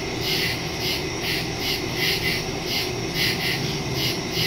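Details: Several crickets chirping in nighttime woods on September 2, 2023, taken with a Samsung Galaxy S22 Ultra and Shure MV88+ stereo microphone: broad, high trilling pulses arrive about every half second over a low, even hum.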